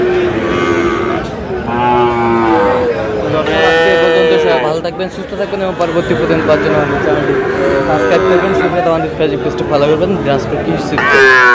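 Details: Bellowing Sahiwal breed bull calves at Aftabganj market, Dinajpur, during early trading on 4 August; several overlapping drawn-out moos with bending pitch, one after another, amid a busy crowd of talking people.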